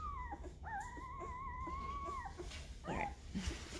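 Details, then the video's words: Great Bernese puppy, five days old, from Lacey the Great Pyrenees and Castle the Bernese Mountain Dog, giving one long, steady, nasal whine lasting nearly two seconds, then a short squeak amid rustling and handling noise. "Great Bernese Puppies are 5 days old and getting noisy!"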